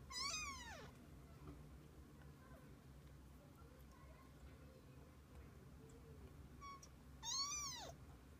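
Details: Mother cat and kittens together through the day: one loud, bright meow sliding downward opens the stretch, then a long quiet gap of faint murmurs before a second strong, arching meow near the end.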